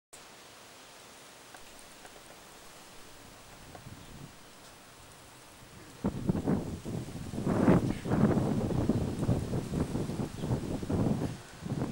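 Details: Soft outdoor hiss, then from six seconds on a run of rustling, scuffing bursts like movement through leaves or grass, filmed in October 2009 at home and Victoria Park dog park.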